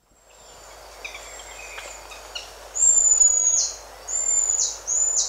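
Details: Buffy-headed marmoset contact calls and other calls: faint chirps and clicks at first, then three loud, very high drawn-out whistles, each ending in a sharp downward drop, with birds and insects in the background.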